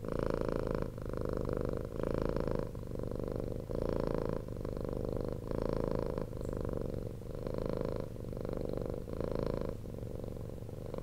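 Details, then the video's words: Close purring from a domestic cat once rescued off the street: deep continuous rumble rising and falling in breath-length surges about once a second, louder bursts alternating with softer stretches. "CAT PURRING"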